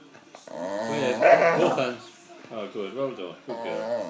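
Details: Attention-seeking dog whining for a biscuit morsel, a rising and falling, talk-like moan that swells loudly, then three shorter bending whimpers in quick succession.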